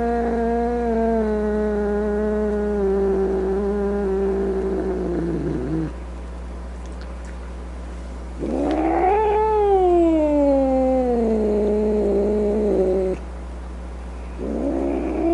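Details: Domestic cat making angry drawn-out yowls: one long low wail that sinks away, a pause, then a rising and falling howl, and the start of another.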